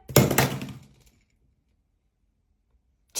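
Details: A sharp thunk with a short clattering crash indoors, followed by silence and then another abrupt bump at the end.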